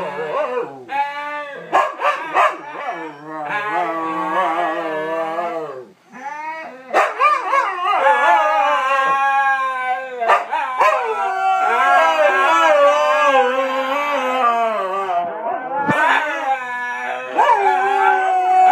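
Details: Five Siberian huskies howl together in a 'woo' chorus, singing a birthday song husky-style for their owner: overlapping wavering, sliding tones in short bursts, some rising and falling sharply, with a few brief yips between phrases.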